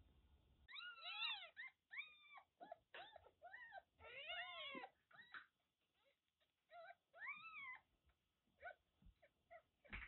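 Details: Kittens about one month old, born to a stray cat in a litter of five, mewing repeatedly: clear, high, arched cries, several in quick bursts, with short pauses and soft knocks between calls.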